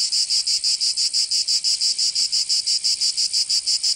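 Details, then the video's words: Provençal cicadas in summer, southern France: loud, sharply pulsed high buzzing, about three evenly spaced throbs per second, unbroken throughout and without background noise. "Canto Cigarra"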